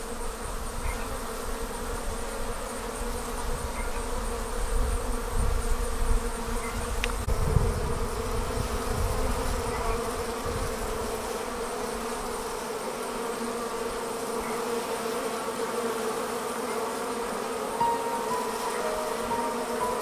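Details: A swarm of honey bees streams out of its hive. It makes a sustained, layered droning hum that stays level for twenty seconds, with bursts of low rumbling noise in the first half, strongest around seven seconds.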